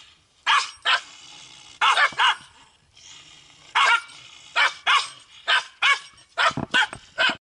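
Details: Korean Pungsan dogs fighting for their home turf, as they do daily; bright, strained barks and yelps arrive in pairs and short runs, roughly fourteen across seven seconds, with a quiet hiss between bursts.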